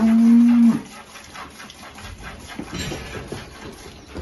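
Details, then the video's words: A Holstein cow that has recently calved, at milking on a Salvadoran farm, gives one short, steady, low moo lasting under a second, followed by quiet shuffling and barn noise. "Vacas Holstein con Cria Ordeño"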